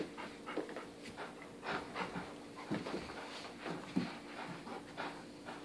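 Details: A 14-month-old English Cream Golden Retriever, playing with and tossing a toy elephant indoors, pants in quick, breathy, uneven puffs about once a second, with soft rustles and a steady background hum in a small room.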